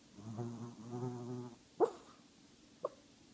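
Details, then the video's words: Small 8-pound Shih Tzu asleep, snoring and dreaming; two low, raspy, buzzing snores with a pulsing texture fill the first second and a half, followed by two sharp clicks in a quiet indoor room. "How loud can a Shihtzu snore? Really loud!"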